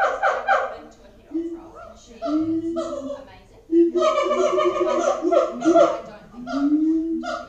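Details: Booming siamangs at Auckland Zoo: loud barking notes, then lower sliding hoots, then a dense, sustained chorus of pulsed calls and long drawn tones that fades into a last sliding hoot.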